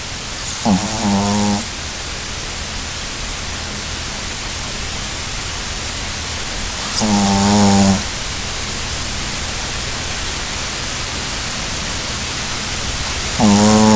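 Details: Snoring puppy fast asleep: three buzzy, low-pitched harmonic snores, each lasting about a second and coming every six to seven seconds, with constant hissing noise between breaths.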